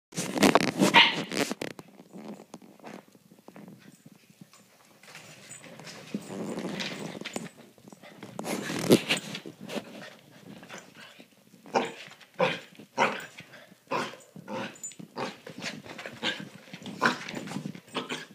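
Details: Two puppies, Holly and Sophie, play-fight indoors on a Friday night, Holly pounding on the couch; bursts of scuffling growls and yips come in clusters, with loud thumps and rustling between them.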